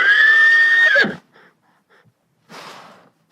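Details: Horse giving a loud, high whinny lasting about a second with a sharp drop at the end, followed by quiet snorting and a breathy blow around two and a half seconds.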